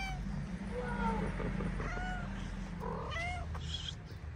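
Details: Homeless cats fed daily on a Moroccan street, a ginger female playing with a friend: a run of clear meows, some rising then falling, grouped early and again near the end, over a constant low traffic-like hum.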